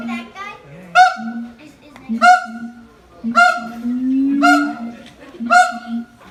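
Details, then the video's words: Siamang adults singing a high-and-low harmony said to carry about 4 km, while their youngster clings silently to its mother: loud ringing barks roughly every second over a low, droning hoot between them. "フクロテナガザルの鳴き声 siamang harmony ハーモニー"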